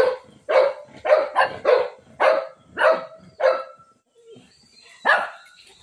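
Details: Pet Shih Tzu in a fight with a cat, letting out a quick run of about seven barks, then a short gap and one final louder bark.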